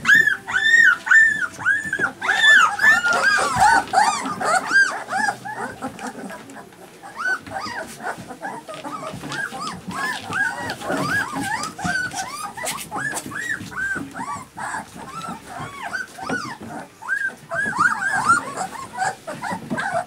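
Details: Several Alaskan Malamute puppies whimpering and yelping together, a dense stream of short arched squeaky cries, some high and shrill, overlapping throughout with brief quieter stretches.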